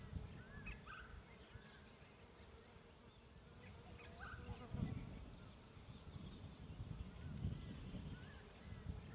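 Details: Buzzing of bees around a bee tree during a camping trip, a steady low rumbling drone with brief louder surges and occasional thin bird whistles in the background.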